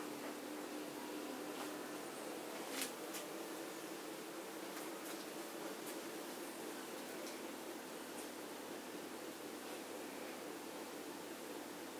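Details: Steady fan-like hiss in a small indoor room with faint rustles where German Shorthaired Pointer puppies sleep after play, no animal calls heard.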